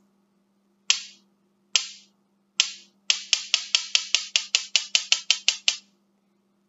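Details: Sharp snapping clicks, three spaced apart then a quick run of about thirteen, over a faint low hum, with no animal sound.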